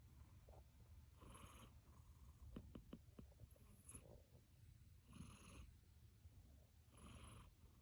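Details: Pet cat snoring in deep sleep after a hard playtime: breathy, rasping inhalations roughly every one and a half to two seconds over a low rumble, with a few faint clicks in between.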